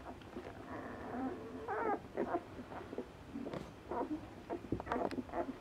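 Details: Ten-day-old Asian Bear Dog puppies, a hybrid of Tibetan Mastiff and American Akita, in a litter of five; a drawn-out whine followed by choppy squeaks and little yelps from several pups at once.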